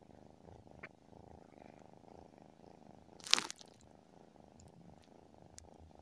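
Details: Tabby cat purring while asleep, a soft continuous low throb, interrupted midway by one loud crinkling, crunching burst before the quiet rumble carries on.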